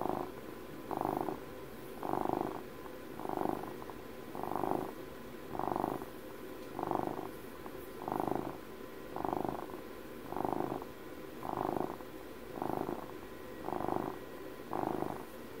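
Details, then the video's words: Purring of a house cat turning twelve, captured up close as ASMR; rhythmic rumble rising and falling roughly every 1.2 seconds in even, regular pulses over a faint steady background hum. "ASMR CAT PURRS"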